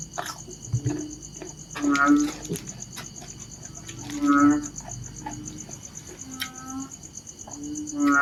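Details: Low moaning, nasal calls of narrow-mouthed frogs, several notes of varying loudness scattered through the stretch, with constant cricket-like chirring in the background.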